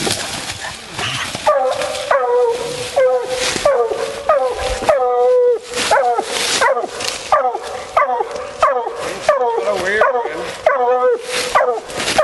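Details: Female Bluetick Coonhound out coon hunting, giving a steady run of loud, ringing bawls, each a harmonic, slightly falling note repeated more than once per second, with a brief pause near five seconds.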